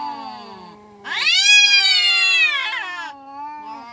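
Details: Fighting village cats, a low steady moan suddenly jumps into a loud strained scream held for about two seconds, then drops back to a low wavering growl.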